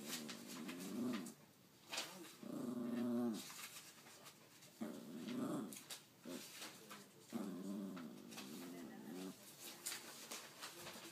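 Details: Pet dog 'talking', imitating human speech in a playful exchange: long, wavering, moan-like vocal bursts with a growly edge, about four drawn-out phrases with pauses between, as a person coaxes it and speaks in the background.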